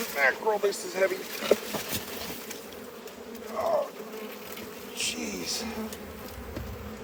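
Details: Honey bees at a hive being harvested, their continuous buzzing hum running underneath a few short bursts of human voice and some handling noise.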